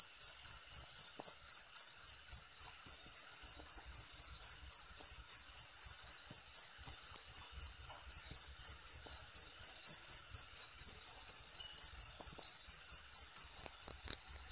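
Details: Natural cricket song used as therapy and tutoring for singing birds, a continuous run of piercing high chirps repeating regularly about three each second, with faint low background thumps.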